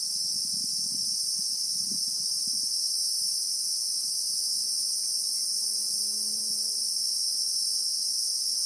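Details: Steady shrill drone of Christmas beetles (Anoplognathus) in the bushveld of South Africa, real-time recording; the high buzz never pauses, while faint low tonal hums and murmurs sit underneath, briefly near the start and again toward the end.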